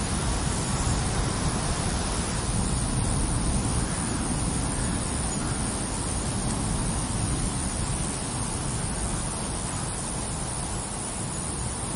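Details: Steady rushing wind and rumbling noise, like a vehicle or surf, with no animal voice heard.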